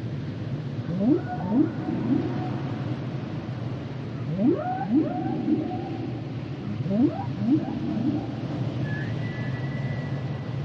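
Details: Humpback whale song: groups of rapid upswept whoops repeating about every three seconds, each a quick rising chirp with fainter echoes, then a long high whistle near the end over steady low ocean hiss.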